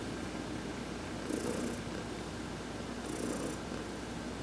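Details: Pet cat being massaged as it lies sunbathing, purring continuously; the low, rough rumble rises in two breathing swells about two seconds apart, each carrying a faint airy hiss, in an otherwise quiet room.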